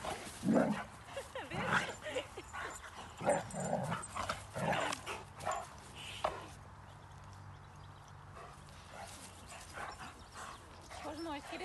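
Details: Rhodesian Ridgeback dogs at play after the 2021 breed event in Châtel Guyon, a burst of rough yipping barks in the first half, then quieter, with a person speaking Spanish in between.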